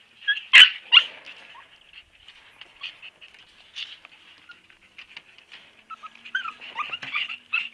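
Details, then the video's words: Siberian Husky puppies whimpering and yipping: high thin squeaks and short whines, a louder burst near the start, then scattered faint cries from several pups. "Sweetest husky puppies ever!!"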